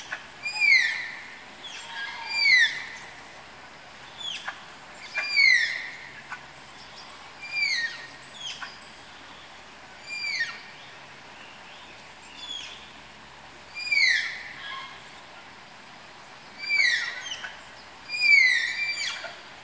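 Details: Captive Malayan tapirs calling from their house at Tama Zoological Park during pairing: high, thin whistles that sweep sharply downward, given singly or in quick clusters every few seconds, over a steady background hiss.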